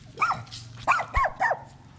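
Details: Poodle birth of seven same-coloured puppies; a few short rising-then-falling squeaky whines, spaced unevenly, with a soft thump partway through.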